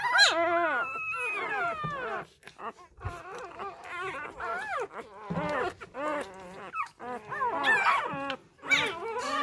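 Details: Newborn Labrador Retriever puppies, left by a first-time mother and being hand-fed fresh milk, give overlapping high whining squeals that arch up and down in quick bursts, with short gaps and a few brief louder yelps.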